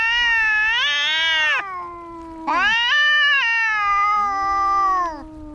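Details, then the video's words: Two cats in a fight, yowling loudly in long, strained, harmonic wails that swell and waver, a lower moaning voice running beneath, with a brief pause near two seconds. "Som de gatos brigando"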